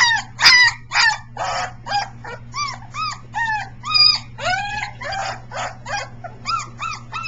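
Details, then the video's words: Young Briard puppies, three weeks old, howling in practice on 15 July 2009. Quick strings of squeaky, curved yelps, several pups crowding together at first, then clearer rising-and-falling whines, with a steady background hum throughout. "Briard 7 siren practice"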